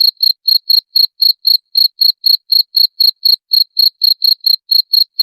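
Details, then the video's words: Rat-repelling cricket sound: clear, high-pitched chirps repeated roughly four times per second in an even train, each chirp a brief pulsed trill, with nothing else audible. "SUARA JANGKRIK PENGUSIR TIKUS"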